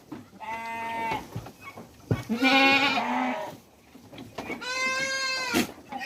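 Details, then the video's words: On a goat breeding farm in Mumbai, India, hungry big goats bleat: a quavering cry, a loud strained bleat, a pause, then another long harmonic bleat, with sharp knocks and clatter of the pen between calls. "The sound of India's biggest hungry goat"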